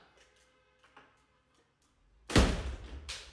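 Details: Indoors, a few quiet murmurs give way to a sudden loud thump like a door or heavy object, then rustling and a second knock; no animal voice is present.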